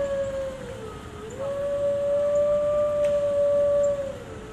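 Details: Gray wolf at a zoo in Washington, DC giving a long, steady howl that dips briefly near the start, then holds one even pitch for about three seconds before tailing off downward.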